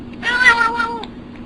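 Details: Domestic cat making a funny sound: one loud, drawn-out, harmonic meow lasting under a second, holding steady then sliding slightly downward before a brief abrupt catch at the end.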